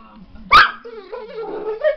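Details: Pet pit bull barking at a dog on TV: a single sharp, loud bark, followed by low murmuring voices in the room.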